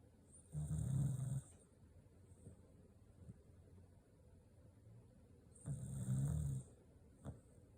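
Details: Corgi sound asleep, snoring: two deep rumbling snores, each lasting about a second and about five seconds apart, with a faint hiss accompanying each and quiet breathing between.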